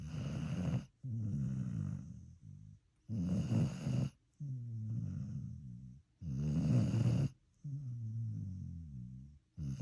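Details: A dog snores in deep sleep, a low guttural rasp on each breath in followed by a gentler wobbling breath out, about nineteen snores a minute in an uneven rhythm.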